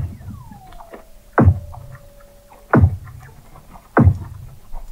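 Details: Weddell seals under thick sea ice at McMurdo Sound, Antarctica, recorded November 2017 by a hydrophone 21 m below the ice at the McMurdo Oceanographic Observatory: a long descending whistle sliding into a steady tone, plus three loud low knocking pulses about 1.3 seconds apart.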